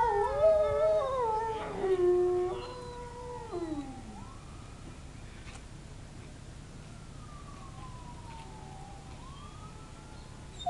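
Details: Several zoo wolves, responding to distant sirens, howl together in long, sliding tones that rise and fall over one another.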